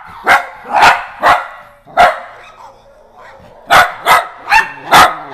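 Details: Pet weenie dogs, dachshunds, bark excitedly at a phone app, four quick barks, a brief pause with soft noises, then four more rapid barks.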